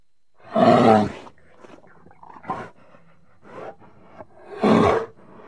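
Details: Bear giving two heavy, growling roars, one at the start and one near the end, with quieter grunts, huffs and breathy rumbles in between.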